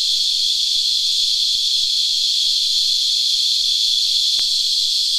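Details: Continuous high, rasping whine from many sap-feeding cicadas, known locally as Christmas Beetles, holding one steady pitch; a single short click stands out near the end.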